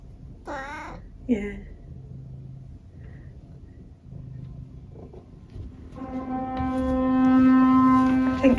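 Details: Sheba, a tabby cat, reacting to the noise of building work next door: two short, arching meows early on, then a loud, steady droning hum from the works rising in the background.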